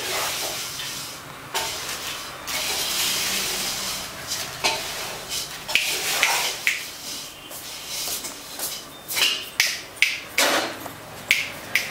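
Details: Clicking, sizzling and clattering noises with sharp taps, like handling or stirring, and no animal voice heard.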